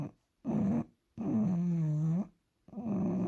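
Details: Sleeping bulldog gives three loud, rattling, tonal snores, each under a second to a second long, with short silent pauses between breaths, in a small room.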